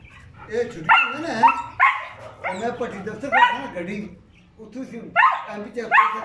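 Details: German Shepherd that stayed by its owner, giving a run of short, harsh barks with rising, whine-like edges about once a second, overlapping excited human voices.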